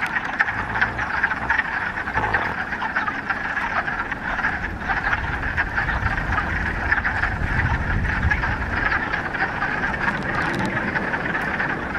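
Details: Frog chorus from a Ramapo Mountains pond in mid-March, first warm spring day following a week of rain; countless overlapping croaks merge into a thick, unbroken trilling wall of sound, with a faint low rumble beneath.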